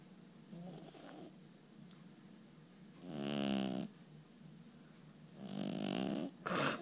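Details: A sleeping kitty snores indoors: two raspy, buzzing breaths about two seconds apart, each lasting under a second over a quiet hum.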